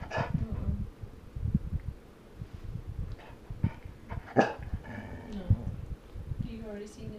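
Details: Female Golden Retriever at bedtime, protesting indoors about being kept from her chickens; drawn-out whiny howls and short grumbling yowls with bending pitch, mixed with a woman's steady scolding voice telling her no more chickens.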